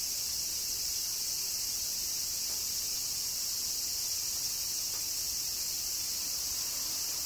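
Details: A dense, even cicada chorus in Kyoto, Japan, in summer: high, hissing and unchanging throughout.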